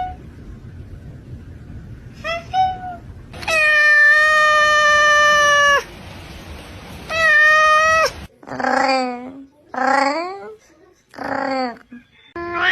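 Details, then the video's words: Domestic cat making drawn-out meows with strong harmonics, one long steady call of about two seconds, then a series of shorter bent, wavering meows, a faint chirp early on. "funny cat sound"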